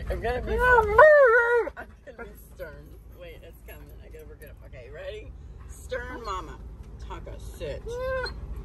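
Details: Alaskan Malamute Tonka protesting his seatbelt gives a loud, warbling, up-and-down howling whine lasting over a second, followed by softer wavering mutters while a woman keeps talking to him.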